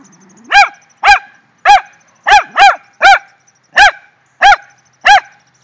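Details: A fired-up Rat Terrier, one of two pet females, Jetta and Sadie, barks at a shrew they found, giving nine sharp, high barks in an uneven rapid run, some paired, after a brief low whine.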